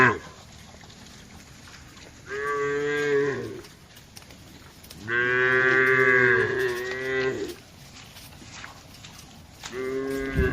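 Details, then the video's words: A herd of tame cattle, dozens strong, grazing on wide green land and calling to each other: three strong moos, the middle one longest at about two seconds with a slight pitch bend, separated by quiet gaps. "suara sapu lembu moo"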